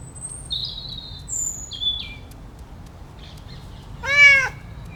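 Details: Cat calling: one loud, arching meow with rich harmonics near the end, after several thin, high whistled chirps that slide downward and may come from birds; quiet low background hum throughout.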